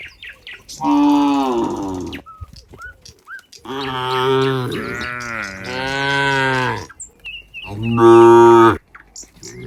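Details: Cows heading back to the pen in a neat group, mooing repeatedly: long, rich, harmonic bellows, one wavering and drawn out over about three seconds, with faint chirps between calls.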